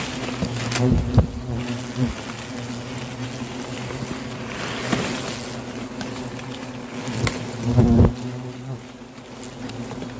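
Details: Hornets flying around an enormous nest in a cherry tree in a rural home garden while the nest is removed; steady low hum broken by loud close fly-by buzzes near the start and again near the end.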